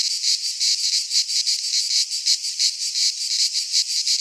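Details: Loud midsummer singing of cicadas among Greek pines, a sizzling high buzz pulsing in rapid beats close to three a second, a steady wall of insect sound alone.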